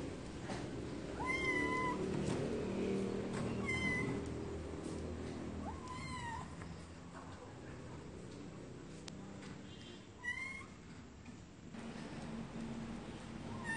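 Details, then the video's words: Several cats meowing in short harmonic calls that rise and fall, spaced a few seconds apart, over a low steady background hum. "Cats meowing"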